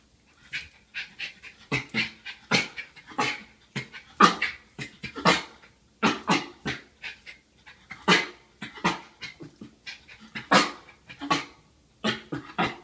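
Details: At night, a Schipperke reacts to a bump with steady, repeated short breathy bursts like muffled half-barks and huffs, roughly two each second, continuing throughout in a quiet indoor space.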